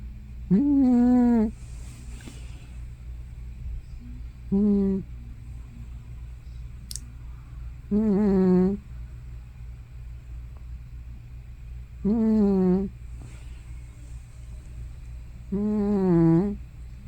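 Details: Hana, a grandmother cat likely over fifteen, dozing at home and snoring or talking in her sleep: five loud, quavering, moaning breaths come about every three to four seconds above a constant low hum.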